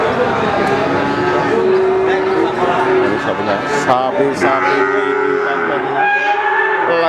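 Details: Cattle at a Pati, Indonesia cattle market. Two stretches of drawn-out lowing come about three seconds apart over busy background chatter, with clanks and a passing vehicle.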